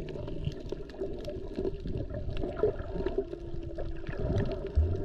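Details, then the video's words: Humpback whales, mostly mothers with calves, recorded underwater on a GoPro while snorkeling off Maui near Wailea and Lahaina; a short steady moan then a level held tone, amid crackling, gurgling water noise. "Listen to the whales!!!"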